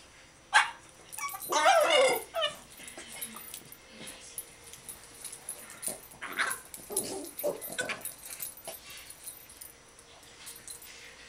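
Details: A Boston Terrier, one of two playing at a "monster under the bed", gives playful grumbles, yips and whiny barks in quick irregular bursts.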